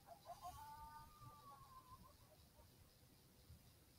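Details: Several coyotes in Southwest Wisconsin howl in response to an initial electronic call, captured on a thermal recording; faint overlapping wavering tones rise and bend through the first two seconds, then fade into steady background hiss.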